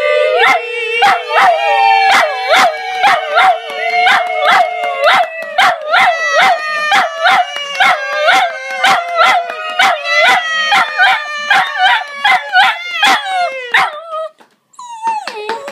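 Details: Patterdale Terrier dog howling along while people sing Happy Birthday. Long, sustained, wavering howls rich in overtones, held for several seconds each, over steady rhythmic clapping, ending with a brief pause and a final short howl.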